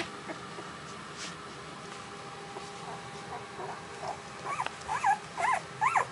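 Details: Week-old puppies grown anxious as they wait for their mother; after a quiet stretch with faint stirring, a run of four short high whimpers about half a second apart closes the clip.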